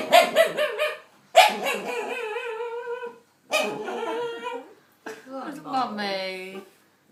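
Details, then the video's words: Indoor pet dog, described as a bit of a wimp, making weird noises while the owner's nephew stares at him; strained, wavering whine-like tones in short bursts separated by pauses, with people talking and soothing him. "Strange dog noises"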